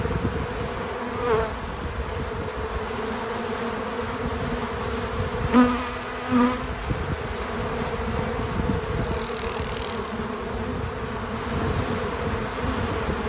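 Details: A swarm of bees at a feeder hums constantly. Close fly-bys make short rising buzzes near 1.3, 5.6 and 6.4 seconds above the steady low drone, and a faint high chirp sounds around 9 seconds.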